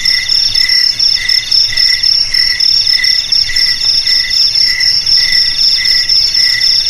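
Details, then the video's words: Loud, continuous cricket song: a thin high trill holding steady while lower chirps pulse in clear, evenly spaced bursts roughly twice a second, with no other animals or noise. "Suara JANGKRIK Pengusir TIKUS Paling Ampuh untuk di Rumah,Garasi,Gudang,Sawah Agar Aman dari TIKUS"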